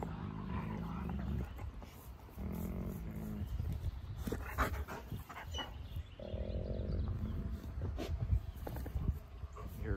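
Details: A wolfdog gives low, rumbling growls in short bursts while a person talks; a female gives a light growl, mouthing to reassert dominance over a male without hurting him.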